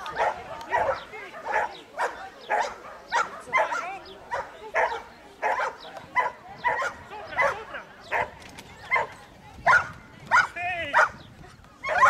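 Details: Giant Schnauzer barking during an agility run with its handler: loud, sharp barks repeated steadily about every half second to second, with a few higher yelping notes near the end.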